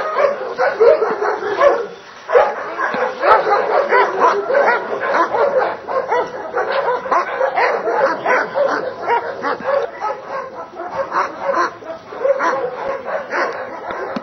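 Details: Barking from the Dobermann Grey John iz Doliny Dalmenov at a Hungarian breeding test with Schutzhund work: a long, nearly continuous run of rough barks, briefly pausing near two seconds, then resuming rapidly.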